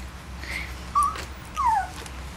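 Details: Puppies from the Togo x Lunita litter of 2012, twenty days old, at night: two short high whining squeals, the first flat, the second sliding downward, over a steady low hum indoors.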